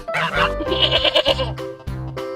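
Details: A goat gives a wavering, nasal bleat over background music.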